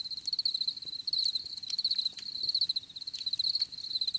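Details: Crickets give dense, shrill pulsed chirps that run together into a nearly continuous ticking trill, pausing only briefly; faint clicks in the background.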